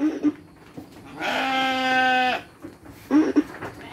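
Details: Domba, a sheep being fed dry fodder with children nearby: one long, steady, harmonic bleat lasting about a second, framed by brief children's voices before and after.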